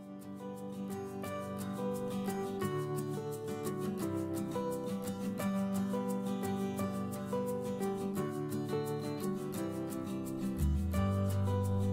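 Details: Gentle plucked acoustic guitar music plays throughout, with a steady picked rhythm and a low bass note entering near the end.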